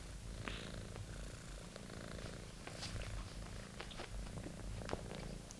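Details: British Shorthair kitten Monty keeps up a low rumbling purr while attacking his favourite toy; frequent quick clicks and scratches of claws and toy sound over the steady purr.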